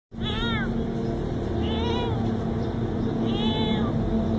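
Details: A cute little cat meowing three times, each meow a high arched harmonic wail lasting about half a second, spaced roughly every one and a half seconds over a steady low background hum.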